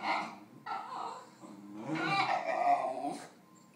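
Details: A Basenji wanting another dog's snack gives wavering, yodel-like whines and grumbles in three bursts.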